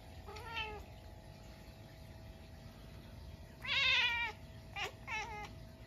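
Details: House Munchkin cat at midnight on a snowy day, responding to a stink bug that strayed indoors: a short meow, then a louder drawn-out meow, followed by two brief chirpy meows in quick succession.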